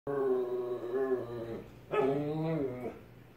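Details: An Alaskan Klee Kai throws his daily tantrum in two long, wavering, howl-like whines.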